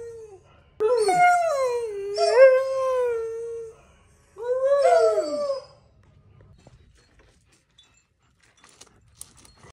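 A Borzoi gives two long, mournful howls that waver and slide in pitch.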